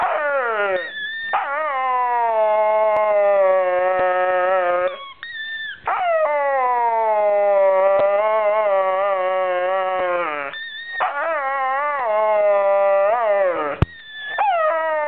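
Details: Pet dog named Molly vocalising loudly at her squeaky ball: long, sustained, howl-like wails, richly harmonic, drawn out for several seconds each with slight wavering pitch, broken by short gaps and brief higher squeaky notes.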